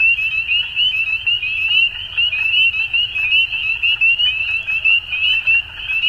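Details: Frogs at dusk calling in a dense chorus: a steady high trilling band with bright, quick pulses overlapping continuously, the loudness swelling and dipping in short bursts about every half second.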